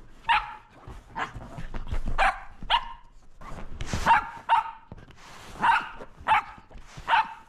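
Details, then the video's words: Playful Shetland Sheepdog Roco barking at a lint roller: a rapid series of about ten sharp, high barks, spaced under a second apart, with light rustling between them. "わんこ音量注意‼️コロコロで遊ぶロコ【シェルティ ロコ】"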